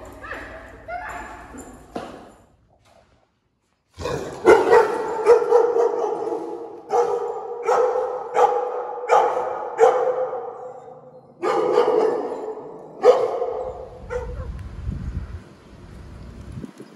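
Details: Rottweiler Jasmine, 1.5, in training for leash aggression towards new dogs, gets overexcited on seeing a strange dog; a brief voice first, then a run of loud, harmonic barks about once a second, easing off near the end.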